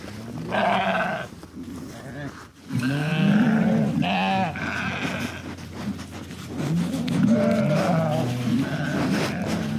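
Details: Sheep bleating in several wavering, nasal calls, each about a second long, with pauses between them and a low rumble of background noise throughout.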